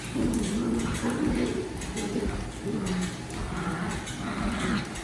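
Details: Daisy, a pet dog, growls while playing tug, a low wavering rumble that rises and dips in short linked phrases, with faint background noise.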